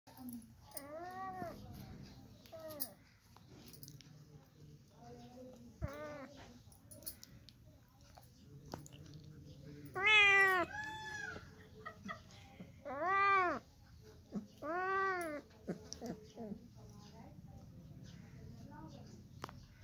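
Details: Cat indoors meowing in a small room: a few soft short meows early on, then three loud, drawn-out, rising-and-falling meows a few seconds apart, with quiet human voices in between.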